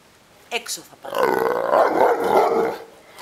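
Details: Neapolitan Mastiff wanting to play lets out a short sharp sound, then a sustained, wavering, throaty moan lasting nearly two seconds.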